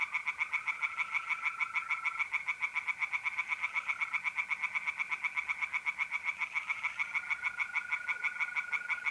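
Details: Singing tree frogs at night in a pond in North-East Italy, mid-April. Continuous rapid rattling croaks, with mole crickets trilling on one even tone that drops out and returns.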